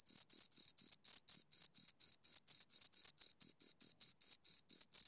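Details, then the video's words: Chirping from two crickets, a steady run of rapid, very high, shrill pulses, roughly four per second, each crisp and evenly spaced, against complete quiet. "Two Crickets Chirp Sounds"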